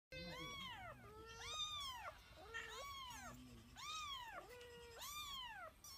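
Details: White domestic cat meowing repeatedly: about five drawn-out, arching meows in quick succession, each rising then falling, with shorter, flatter, lower tones between them.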